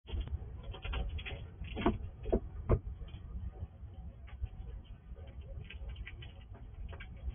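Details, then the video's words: Wild squirrel visiting a house at night, eating in the dark under night-vision recording; sharp crunching clicks cluster around two to three seconds over a steady low rumble, with scattered softer ticks of gnawing. "Squirrel eating in the dark ~night vision recording"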